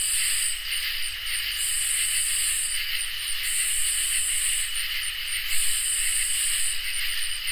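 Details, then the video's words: Summer night insect chorus of crickets and katydids: steady piercing trill beneath irregular high buzzing phrases, some short and some nearly two seconds long, separated by brief gaps. A low background hum runs throughout. "Crickets and Katydids in Summer | Ambient Night Chorus"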